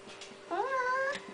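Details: Indoor Siamese cat answering a person's coaxing to say hello, giving one short rising-then-level meow of under a second, with quiet room background.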